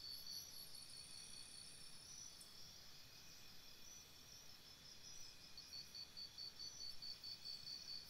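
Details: Crickets at a campsite at night give fast, high, pulsed chirps in overlapping rows, the trilling growing stronger toward the end, with a faint high whine and low rumble underneath.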